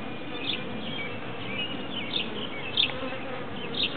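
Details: A big cluster of bees gathered in a tree gives a steady, dense buzzing hum, with brief brighter whines from individual bees passing close every second or so.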